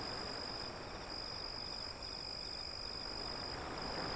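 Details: Crickets chirping beside waves: a thin high continuous trill broken by short gaps, over a loud steady rush of surf.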